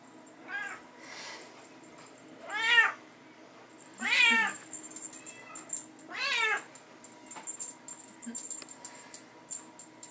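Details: Bengal kittens playing with their mother in an indoor hallway during teaser play; four strong, drawn-out meows roughly every one and a half to two seconds, with light tapping and rattling of toys between and after them.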